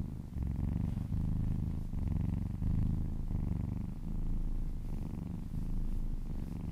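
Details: Little kitten purring contentedly as it is massaged; low buzzing purr in rhythmic pulses, each breath cycle about a second long, steady and close.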